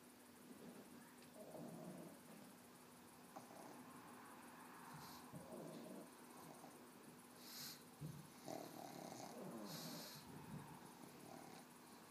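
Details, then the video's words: Cozmo, a 13-year-old pug, snores and twitches in his sleep after a big walk. Soft, breathy, low snores recur roughly every two seconds beneath a faint steady hum. "Snoring and twitching pug"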